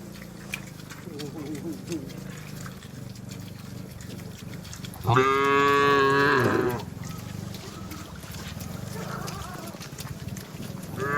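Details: Cattle being herded home to the barn in heavy rain in a village setting: one loud, harmonic moo lasting about a second and a half, with quieter, fainter lowing before and after over steady rain-like background noise.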